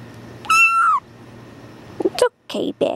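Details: Tuxedo kitten yelling while held gives one strong, drawn-out meow that holds steady and then falls at the end, followed by brief human voices and handling noises.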